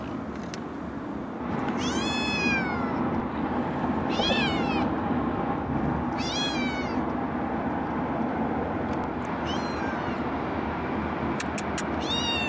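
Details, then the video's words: Scout, a female calico rescue kitten adopted from a shelter at 8 weeks old, cries in her carrier riding home by car: about five high, wavering meows rising then falling, repeated every two seconds over a steady rumble of road noise. "CUTEST Calico Kitten Meowing in Carrier"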